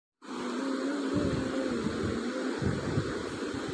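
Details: Steady mechanical hum and broadband noise, like a fan or passing vehicle, with no animal voice.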